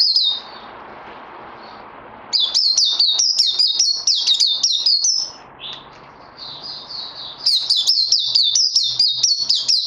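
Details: Puteh (white-eye) in song training after Covid-19, 18 May 2020: high, sweet twittering phrases with rapid chips, a quieter pause, then a burst of fast, jumbled warbling and a second loud run near the end.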